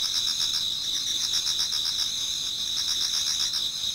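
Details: In a Japanese garden near dawn in autumn, numerous insects sing together, a bright sustained high trill with quick regular chirp pulses running through it.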